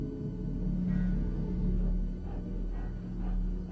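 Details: A deep, brooding music drone with a steady low hum and no animal voice.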